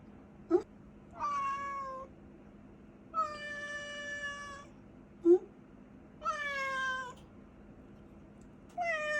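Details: Indoor pet cat chattering to her owner when she wants something, four drawn-out meows, some falling at the end, spaced about two seconds apart, with a soft low hum and brief clicks between.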